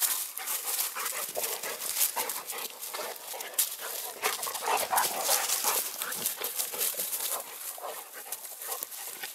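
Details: Cane Corso female Siva in wild play with Dogo Canario mix Manfred: quick breathy puffs at nearly three per second, mixed with scuffling clicks and rustling from the romping pair.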